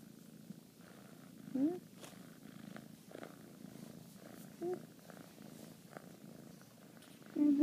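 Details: A female Bengal kitten purrs with a steady, low rumble while being cuddled and given high fives, a woman speaking softly now and then.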